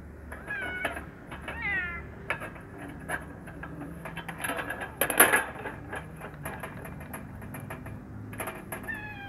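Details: Hungry kitten eating alongside a black male cat, afraid of him and angry when he steps on it; a series of short, arched, harmonic meows, some quickly repeated, with clattering knocks and scuffling in between.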